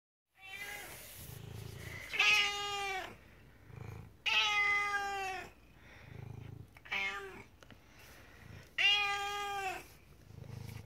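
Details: Rescue cat's morning feed-me call: four loud, drawn-out meows with rich harmonics, each falling slightly at the end, spaced about two seconds apart, with quiet low rumbling between them.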